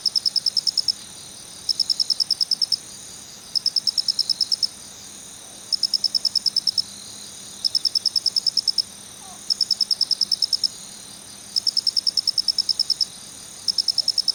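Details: A male Phonarellus ritsemai cricket calls kichi-kichi, with steady trains of quick shrill pulses lasting about a second and repeated roughly every two seconds against a quiet background.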